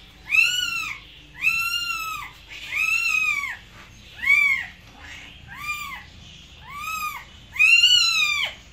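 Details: Series of about eight cat meows of mixed length, some short and chirpy, others long and drawn out, coming in quick succession against a faint background hum.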